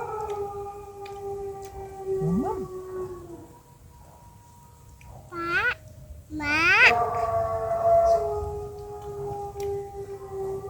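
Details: Dogs howl during an outdoor meal outside the house, in long, steady wavering tones with a couple of sharp rising yelps breaking in, over faint background murmur.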